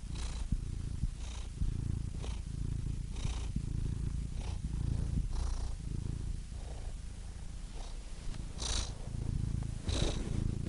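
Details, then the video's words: Continuous low cat purr, deep and buzzy, pulsing in about one-second breath cycles with faint hissy inhalations marking each turn. "Cats Purring Soothing Sound Effects (Relaxing Cat Sounds)"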